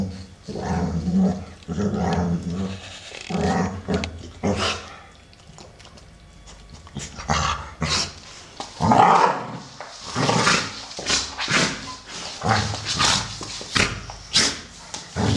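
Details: Solo, a brown male of 12, and Shaya, a grey female of 1 year 8 months, both American Staffordshire Terriers at play; choppy growls and snorts come in quick irregular bursts, with a quieter stretch midway.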